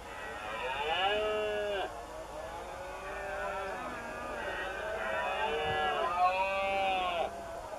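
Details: Rutting red deer stags bellow in September on Doñana marshland near cork oak woods, Spain, gathering in the open to mate; long tonal moaning roars with rich overtones, each curving downward, several callers overlapping almost continuously.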